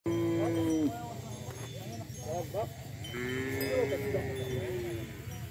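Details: Several cattle of mixed types, Bali, Limousin and Brahman, gathered together in a field; a steady low moo that drops at its end, then several overlapping shorter lowing calls and a long level moo, over continuous low rumbling background.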